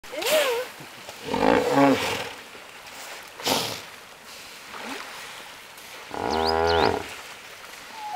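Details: Hippos in a crowded pool, their trumpeting echoing through the area: several separate harmonic bursts, some with rising and falling tones and one stacked, pulsing honk near the end, with gaps of quieter background between.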